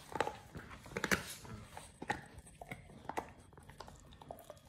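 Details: Pit Bull named Oliang biting into a raw ostrich paw, his first, given as a jaw-exercise and tooth-polishing snack; sharp crunchy bites about once a second, bunched and uneven, fading to softer clicks near the end.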